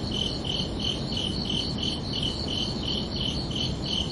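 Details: Crickets chirping at night on a summer evening: short, bright, high chirps in an even train, about three per second, over a steady low hiss and rumble.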